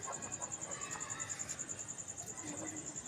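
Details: High-pitched chirping of a cricket after dark, a rapid run of sharp pulses repeating steadily, with faint low background rustle underneath.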